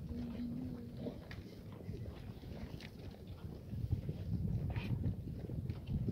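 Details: Black goats in the exercise yard of a goat farm in Gimhae, South Korea, on a cloudy Friday morning, 19 April 2019; one short, flat nasal bleat in the first second, then shuffling and hoof movement.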